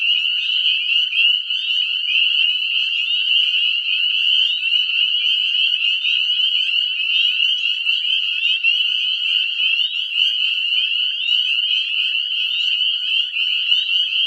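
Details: A dense breeding chorus of northern spring peepers at a woodland pond at dusk in early spring, Nova Scotia, their high piercing peeps merging into a continuous, deafening ringing wall of sound.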